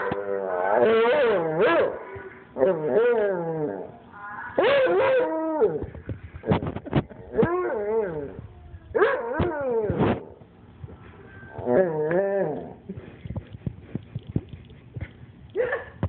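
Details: Dog howling back at playback of its own howls: repeated wavering, swooping howls in bursts, later breaking into short yips and whimpers, with faint clicks at the end.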